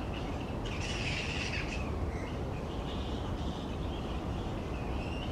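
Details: Grey-headed flying foxes, a large noisy colony of fruit bats hanging upside down in tree branches; a burst of harsh, squeaky squabbling calls near the start, then scattered shorter screeches over a steady low rumble.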